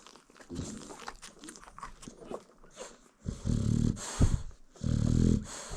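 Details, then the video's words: American Bully mother snoring as she sleeps while nursing her newborn puppies. Two long, low rumbling snores come in the second half, each lasting under a second. Soft shuffling and rustling fill the quieter start. "Newborn American Bully Puppies Feeding While Mom Snores"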